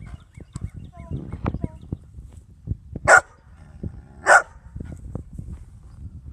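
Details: Dog barking at a cat: two sharp, loud barks about a second apart stand out over low rumbling background noise and faint scattered knocks.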